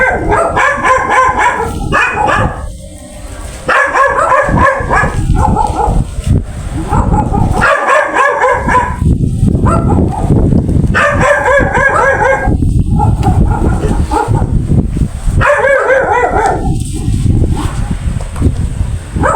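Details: Female golden retriever during mating with a male named Jago, giving bursts of high, harmonic whines and yelps in clusters of a few seconds, separated by short pauses, over background music, voices and low rumbling noise.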